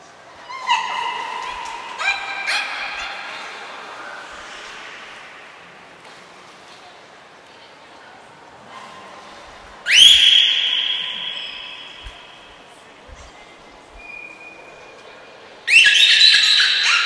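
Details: During a 25 February 2024 training session at Port of Nagoya Public Aquarium, the beluga Nico makes a few brief harmonic squeaks, then two loud sustained high whistles with sharp onsets, separated by quiet stretches.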